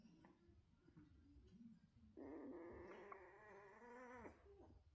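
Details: Central Asian Shepherd puppies indoors; after two seconds of low murmuring, a sustained harmonic whine wavers up and down for about two seconds, then breaks off, followed by soft low grumbles.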